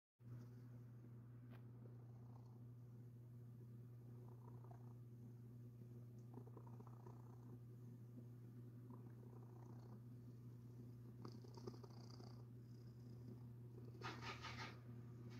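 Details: Pet domestic cat purring while its very soft, fluffy belly is rubbed indoors. A steady, deep, unbroken purr runs throughout, with hand-rubbing rustles growing louder near the end.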